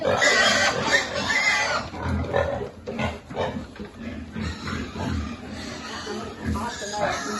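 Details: Piglets at a pig farm during feeding: a loud, harsh squealing chorus opens, then choppy grunts and squeaks tumble over each other at a quick, uneven pace until the end.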